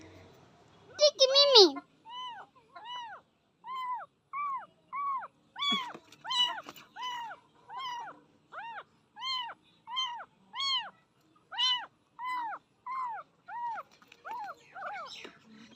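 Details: Young pet cat that cannot eat on its own, being fed milk from a feeder: a steady series of short arched meows, about one per second, rising then falling, with a woman's coaxing voice at the start.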